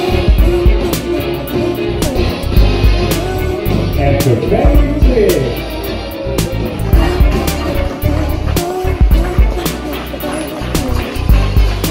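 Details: Loud music with a heavy beat fills the recording, with some voices and crowd noise but no clear animal call. Low rumbling and clattering sounds run underneath throughout.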